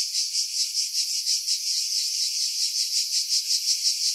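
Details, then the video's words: Cicadas in pines on Skiros Island, Greece, July 2018, near Pefkos Bay: a bright, hissing trill swelling and fading in rapid pulses, slightly uneven, against a filtered, quiet background. "Cicada Sounds, July 2018 Skiros, Greece"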